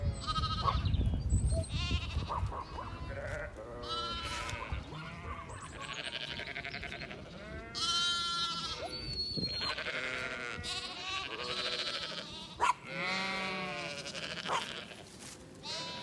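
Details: Zwartbles sheep with young lambs on a regenerative farm in County Kilkenny, Ireland, moved across a driveway by a sheepdog; many overlapping quavering bleats, high lamb cries and deeper ewe calls, repeated throughout with some background music.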